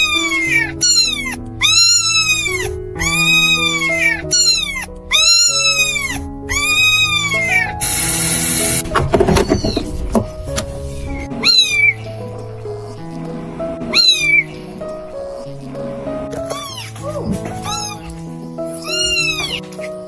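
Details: Tiny stray kitten that wobbled up and stopped at a person's feet, giving high, arching meows in quick bursts of three or four, then a noisy scuffle and a few scattered meows, with soft piano music throughout.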